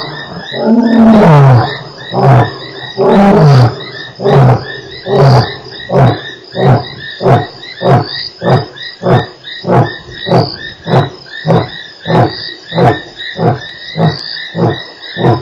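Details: Lion at Nkorho, recorded 3 March 2008, giving a full roar: two long, deep moaning roars that fall in pitch, then a long run of short, low grunts spaced about every half second and slowly fading, over steady high insect buzzing.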